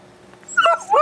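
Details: Beagle named Root, excited while being put through tricks such as sit, shake and other paw, gives a short high whine that rises and falls in two quick bursts, with a faint earlier murmur.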